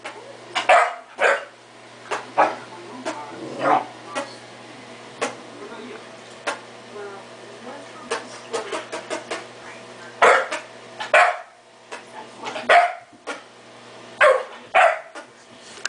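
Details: A domestic dog barks indoors with loud, harsh single barks and quick doubles. The barks are clustered early and again in a rapid run near the end, with softer clicks and a faint background hum between them.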